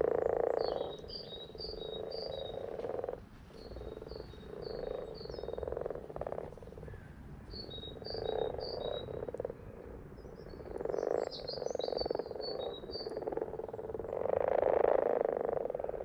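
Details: Frogs croaking in their happy place: a continuous low pulsing chorus, rapid repeated croaks swelling and fading in waves, with bursts of high chirping notes scattered above and a brief lull near the middle.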